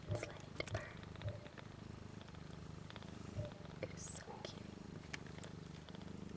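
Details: Four one-week-old kittens, three female and one male, nursing on their mother Missy "BlueBelle", eyes and ears still closed, just beginning to purr: a low, steady rumbling purr throughout, broken by soft clicks and faint handling noises.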